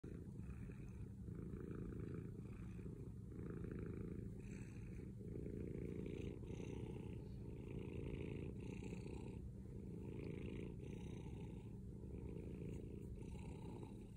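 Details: Male cat purring very loudly: a continuous deep rumbling purr with a rhythmic rise and fall about every second, steady throughout.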